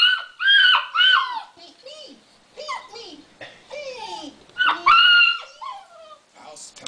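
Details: Alaskan Malamute puppy about eight weeks old, indoors, 'talking' in response to a creaking door in a TV commercial: high whiny yelps and woo-like cries with sliding, falling pitch, in several bursts with short pauses between.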